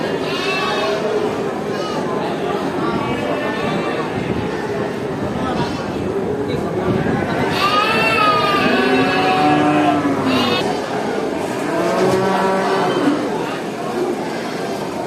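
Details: Cattle at a traditional animal market, several long tonal moos that swoop up then down, amid steady crowd chatter and human voices.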